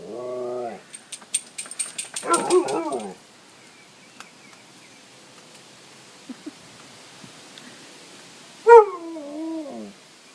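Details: Three pet dogs, very vocal and excited during play as it nears time for an October walk: a high wavering whine opens, a burst of yelping whines follows around two seconds, a quiet stretch, then a long rising-and-falling whine near the end.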